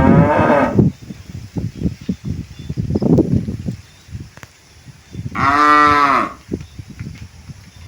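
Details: Tame village cattle coming back to their pen: a short moo at the start amid rumbling footsteps and knocks, then a second clear, harmonic moo of about a second, with trampling sounds throughout.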